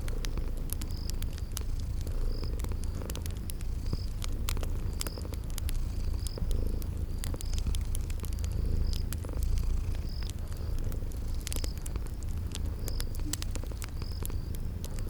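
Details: Purring from sleeping cute kitties, a continuous deep throbbing rumble, set against crackling fireplace pops and regularly spaced high chirps of a spring garden ambience.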